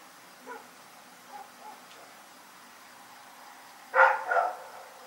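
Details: Dog named Rex barking at night: a few faint distant yelps at first, then two loud, harsh barks close together near the end.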